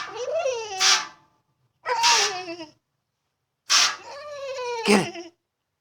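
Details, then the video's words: Female pet dog whining in frustration because she cannot reach the water she loves to bite at: three drawn-out, wavering, nasal whines with breathy sneezing bursts. "Dog In Distress! (Funny whining noises!)"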